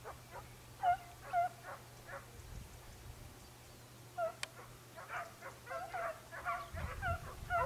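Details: Segugio Italiano hound in Evros, Greece, on 22 October 2023, giving tongue while trailing a hare. Distant, ringing yelps come in irregular bursts of about two per second and grow busier and overlapping toward the end, over a low steady hum.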